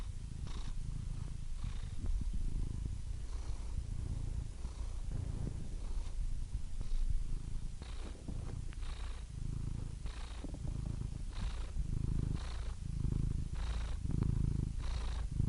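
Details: Cat purring calmly: a low, throaty rumble pulsing with each breath roughly once a second, the inhaled and exhaled phases alternating in texture, otherwise quiet background.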